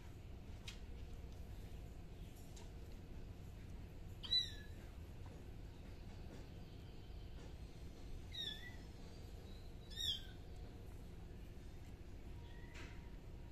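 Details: Kittens give three short, high meows with falling, harmonic-rich contours, near the fourth, eighth and tenth seconds, separated by quiet gaps, above a constant low rumbling background with scattered faint clicks.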